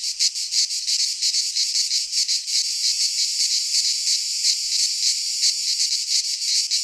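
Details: Chorus of cicadas in a pine forest in Greece at midsummer, a harsh shrill buzz throbbing in quick uneven pulses about three times a second, loud and unbroken over the whole stretch.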